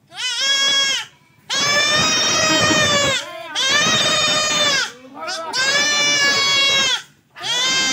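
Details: Male goat bleating while being castrated: four long, loud, strained bleats, each about one to one and a half seconds with a wavering, slightly rising then falling tone, separated by short pauses.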